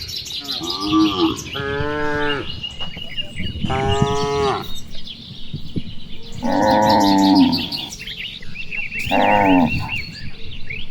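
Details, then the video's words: Cattle, one of dozens grazing and playing in wide rice fields on an afternoon, calling to one another: drawn-out harmonic moos about a second long, several overlapping voices, with chirping birds from distant trees throughout. "Vidio suara puluhan sapi lucu,sapi merumput dan bermain di hamparan sawah"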